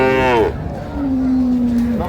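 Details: Dairy cattle at Ambari livestock market in Dinajpur, Bangladesh, with cows and calves for sale: a long steady low moo follows a brief higher falling cry, amid crowd noise.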